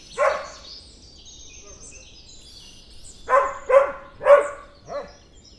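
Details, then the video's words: Barking dog: one bark, a pause of nearly three seconds, then a burst of four rough barks about half a second apart, over light bird chatter. "Animal Sounds of Dogs Barking"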